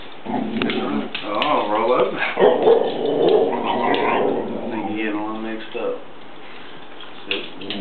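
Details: Pair of dogs 'telling it like it is', giving drawn-out, warbling yowls and grumbles that waver up and down almost continuously for several seconds before fading, ending with a brief sharp sound.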